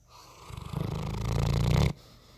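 A Bloodhound snores with a deep, rattling, low-pitched rumble that builds over one long breath.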